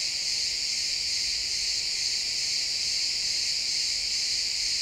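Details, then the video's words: Crickets at sunset in a pine forest keep up a steady, shrill, pulsing high-pitched chorus, uniform in volume from start to finish. "Cricket sounds in the pine forest"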